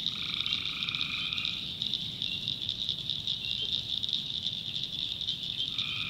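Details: At night in North Carolina swamp backwoods, a tree frog gives a steady droning call lasting about a second and a half. A second call starts near the end, over a continuous high-pitched insect hum.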